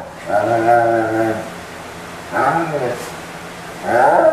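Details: German Shepherd named Max moaning while being towel dried, November 17, 2012: three drawn-out, low, harmonic groaning moans, the first about a second long, the others shorter and wavering, with quiet pauses between.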